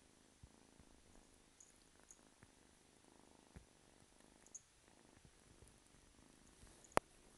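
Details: Kitten named Simba, about 8-9 weeks old, purring quietly and steadily, a low rhythmic rumble broken by faint ticks and one loud click near the end.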